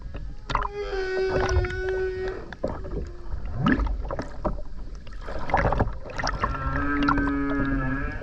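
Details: Underwater humpback whale song from the Ogasawara Islands, Tokyo, Japan, 29 January 2022, taken while skin diving; drawn-out harmonic moans, a short upsweep and a final steady low tone, with crackling water noise throughout.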